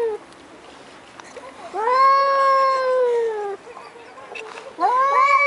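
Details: Pair of large male cats in an aggressive standoff, one giving a long rising-then-falling baby-like wail lasting nearly two seconds, followed by a shorter sharp rising cry at the end over faint background hiss.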